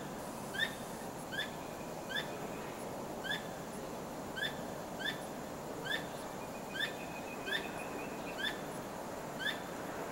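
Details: Squirrel heard at night, tail wagging continuously, uttering an insistent series of short sharp chirps spaced under a second apart. A thin, steady high tone runs alongside for a few seconds in the second half; a quiet background hiss persists throughout.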